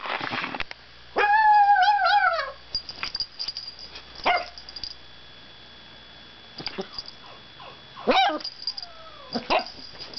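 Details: Pet dog barking, growling and making funny noises: a long wavering whine-like howl, its pitch bending up and down for over a second, followed by scattered short sharp barks and yips with quiet gaps.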